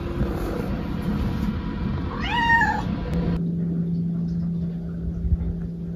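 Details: Maple, a pet cat, calls out indoors after being left alone while someone uses the rest room; one short bent meow with clear harmonics, followed by a steady electrical hum and faint room noise.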